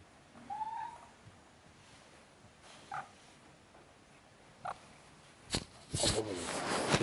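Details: A Maine Coon mother cat, disturbing filming of her sleeping seven-day-old kittens, gives a brief, soft chirping call that rises slightly, then rustling follows.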